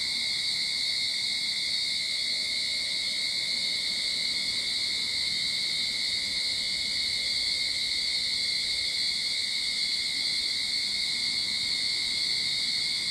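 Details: Sydney backyard at the beginning of summer, cicadas producing an unbroken high-pitched droning hum, steady in pitch and volume, with a narrow whining tone underneath the main buzz.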